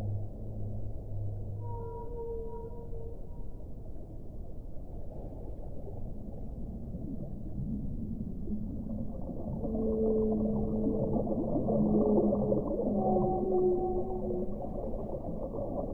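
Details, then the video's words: Whale song with long sustained tonal moans near a low hum and higher tones, several overlapping tonal units later rising and falling over a steady underwater rumble. "1 ora di suono delle balene"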